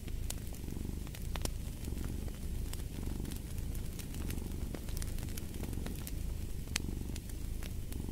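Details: Domestic cat purring in a steady low rumble with soft rhythmic swells, mixed with sharp crackles and pops from a fireplace throughout.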